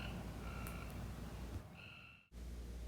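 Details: Gray treefrog (Hyla versicolor) gives short, high, steady advertisement trills in the background at a pond at a nature center, over a low rumble of background noise.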